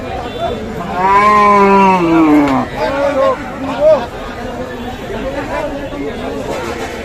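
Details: Cow with calf for sale at Kaharol cattle market, Dinajpur, Bangladesh, on 18 August: one loud, drawn-out moo lasting about a second and a half and falling in pitch at its end, followed by shorter lowing, with traders talking and bargaining close by.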